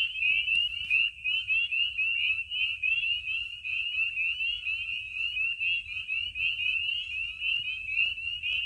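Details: Spring peepers calling in a dense night chorus at Maine vernal pools in spring. Countless high, upward-sliding peeps merge into a steady shrill drone, with a few brief clicks near the start.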